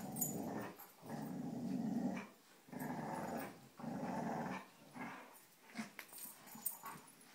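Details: Three pet dogs playing tug-of-war with a rope indoors, rumbling in low, rough play growls that come in bursts of about a second, separated by short pauses, with scuffling and a few small yips near the end.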